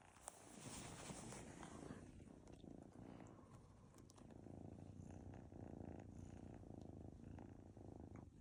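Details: Munchkin Kilt cat named Gyeouri kneading its tired owner, giving a steady low rumbling purr that runs throughout at close range, with faint rustling indoors.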